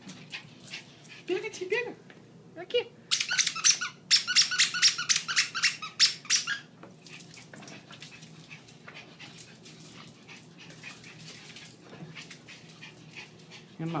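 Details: Maltese and Yorkshire Terrier pet dogs playing indoors, full of energy as their owner gets home after a long overnight shift: short harmonic whines, then a burst of rapid high squeaks, with a person talking in Portuguese.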